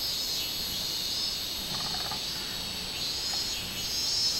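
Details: A robust cicada (minminzemi) recorded on 24 July 2016 gives a loud, high, shimmering buzz that holds steady with slight surges.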